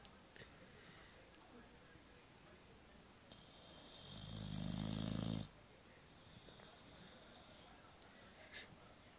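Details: Tyson, an 8½-month-old Boxer pup, fast asleep on a bed, snoring loudly with his cheek flapping. One strong, low, rumbling snore swells mid-recording, with softer breathy rasps before and after in a quiet room.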